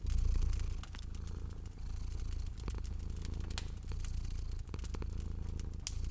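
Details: Sleeping cat purring beside a crackling fireplace in cozy spring ambience: a steady, deep rumbling purr with gently pulsing loudness runs throughout, overlaid by frequent sharp pops and crackles from the fire.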